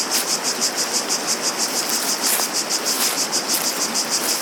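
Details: Cicada chorus with a rapid, steady pulsing high buzz, roughly three beats per second, unbroken across the recording, layered over a constant rushing background noise resembling water.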